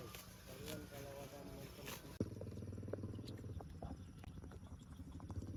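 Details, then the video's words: Tame cow calling outdoors: a low, harmonic-rich lowing holds steady for several seconds after an earlier, higher tonal stretch; a sharp knock comes just before, with steady low rumble and scattered clicks throughout. "funny animal sounds in the wild: tame cows"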